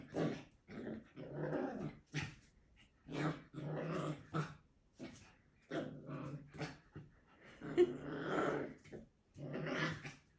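A Schipperke puppy growls in short, rumbling bursts, each lasting under a second with brief pauses between.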